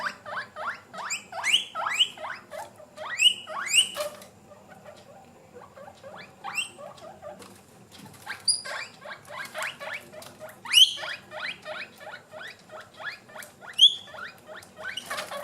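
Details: Hungry pet guinea pigs demand food, wheeking in loud, shrill, upward-sweeping squeals repeated in rapid bursts.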